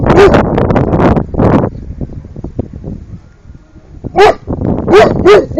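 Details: Cane Corso, 13 months old, barking at turtles: a few deep, loud barks, one early then three in quick succession near the end, with a muffled rumbling, voice-like sound in the first second and a half.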